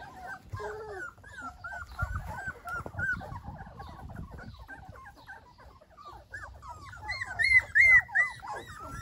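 Golden Retriever puppies whimper and squeal in a steady stream of thin, high, overlapping cries.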